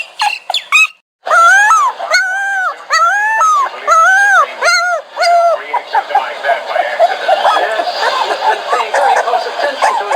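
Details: Dog whining in drawn-out, tonal, arching cries repeated roughly every half second, then blurring into a continuous noisy background of whimpers.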